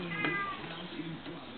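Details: Persian show-quality black and white bicolour kitten at play, giving a short high mewing cry early on that then fades into soft low rustling and handling noise.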